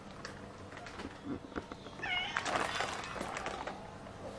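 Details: Pregnant orange classic tabby cat, described as very greedy for food, gives one short, strained meow with a rising-then-falling tone partway through, among scattered clattering, rustling household noises and faint background sounds.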